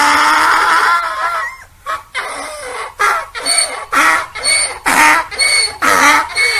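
A donkey brays in a run of harsh, rasping honks, about two every second.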